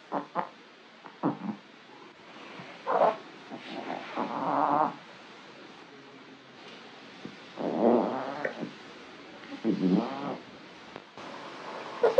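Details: Foxie, a male orange Maine Coon cat relaxing at home, makes odd vocal sounds while stretching: a series of short chirps and warbling, trilling calls separated by quiet gaps, the longest rippling trills around the middle and end.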